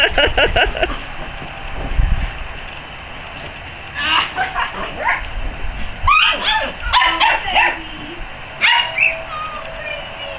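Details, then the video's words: Ten-week-old puppies of one litter play with an older male dog from their mother's first litter, who is warming up to them; short sharp barks and yips come in bursts, with a person talking and soft rustling between them. "Puppies Playing With Big Brother"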